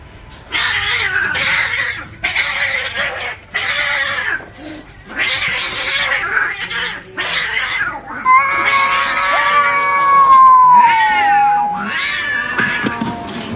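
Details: Cats fighting to show who's boss: harsh, noisy yowling bursts repeated through the first half, then long wavering, drawn-out caterwauls with a falling, then rising, moaning pitch toward the end; music plays faintly underneath.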